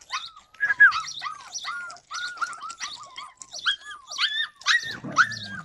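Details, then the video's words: Yakutian Laika recorded in July 2020, giving a run of short arched yelping barks, roughly ten in under six seconds, with a faint low rumble near the end. "Yakutian laika"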